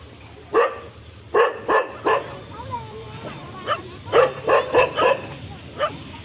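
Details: Dog barking in short sharp bursts, a pair near the start, then a quick run of four barks followed by a single one, with faint whining and voices between them.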